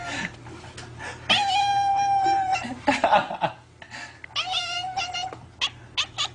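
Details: Domestic cat 'talking' with a long, steady, tonal meow held for over a second, followed by shorter wavering meows and chirps, interspersed with sharp clicks over a low background hum.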